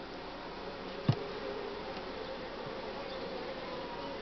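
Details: Honey bee colony in spring, growing as the brood nest is broken, giving a low, unbroken droning hum at the hive, with a single dull thump after one second.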